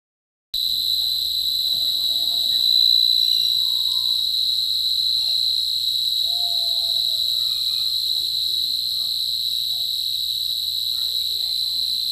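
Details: Cricket giving a steady, high, shrill trill that runs unbroken from start to end at an even loudness, with faint low whistling sounds in the background.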